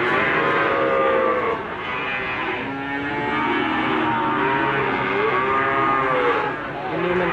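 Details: Lowing of Limousin cattle amid the bustle of Gondanglegi animal market in Malang, East Java, 12 February 2020: several overlapping long moos, some bending upward, under steady murmuring voices and market noise.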